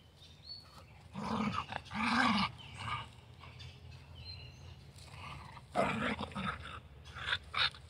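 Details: Carolina dog, the American dingo, in morning play; rough growling barks come in clusters around two and six seconds, harsh and broadband, with quieter grumbles and short yips between them.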